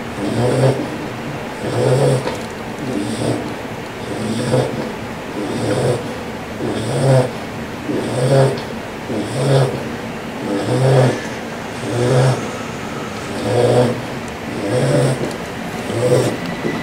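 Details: Phoebe, a 4-month-old female English Bulldog puppy, snores loudly while sleeping, a few days after joining her family; deep rumbling snores repeat steadily, roughly every second and a quarter, each with a low buzzy rasp.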